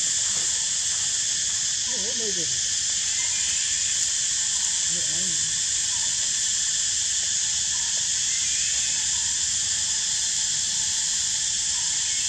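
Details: Edison, a baby monkey nine days old in a park and seeming energetic, utters two wavering, descending squeals a few seconds apart, partly masked by a strong continuous high hiss.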